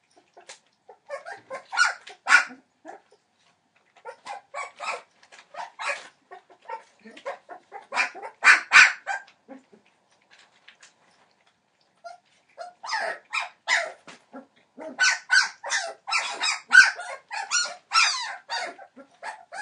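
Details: Entlebucher Mountain Dog puppies at 21 days old, litter born 28 December 2013, chorusing in bursts of quick, high yips and squeaks separated by brief pauses, densest and loudest toward the end.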